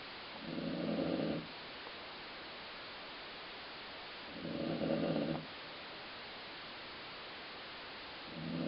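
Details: A dog snores steadily in its sleep: three buzzy, rumbling breaths, one every four seconds or so, likened to stomach growling, over soft background hiss.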